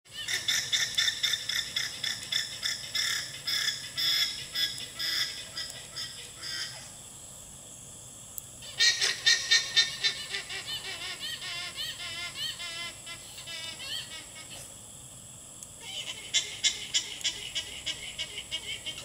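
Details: A female alpaca gives a shrill, rapidly repeated honking alarm call to the herd in urgent bursts.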